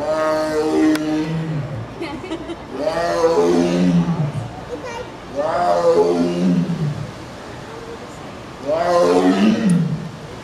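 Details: A tiger at the Denver Zoo, Denver, Colorado, on August 24, 2012, gives loud, drawn-out meows that slide downward from a strained cry to a low moan.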